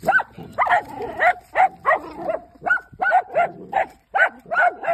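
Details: Dachshunds going after their first groundhog, barking excitedly: about eleven sharp, harmonic barks in quick succession, some doubled, with brief gaps between bursts and no other clear sounds.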